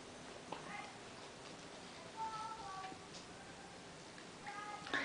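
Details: Ten-week-old Bengal kittens at play indoors, giving several short, thin, high meows with clear harmonics, some rising, over a hissy background with faint rustling and knocks.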